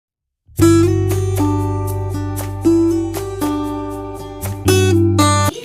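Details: Strummed acoustic guitar music plays after a brief silence, with no animal sound audible.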